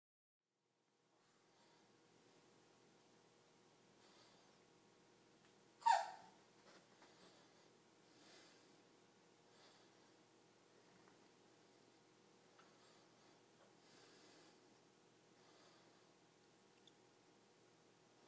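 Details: Dog named Kojiro sneezing, which startles Yuki: one sharp, explosive burst about six seconds in, followed by faint breathy sounds and soft rustling against a quiet background.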